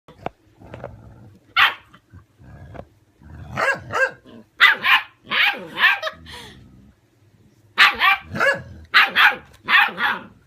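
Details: Six-week-old puppies and a 17-year-old dog barking back and forth: loud, sharp barks with harsh overtones, coming in quick bursts of three to five with a pause in between, plus low growly sounds and faint speech.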